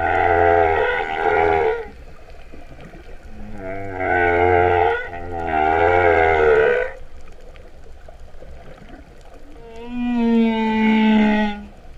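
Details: Humpback whale song heard underwater off Vava'u, Tonga, in September 2015, described as cow-like mooing: three deep, grinding moans in close succession, a long quiet stretch, then a higher, steady, tonal wail.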